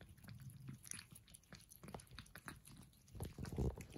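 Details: Persian cats at breakfast make rapid, dense chewing sounds: quick crunchy clicks and smacks, several per second, growing louder toward the end.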